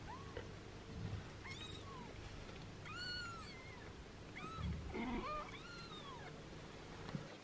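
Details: Mother cat licking and grooming her 6-day-old kittens, black Yami protesting and lavender Hisu relaxing; rapid overlapping high mews, several arcing up and down within seconds, with soft thumps and a constant low background hum.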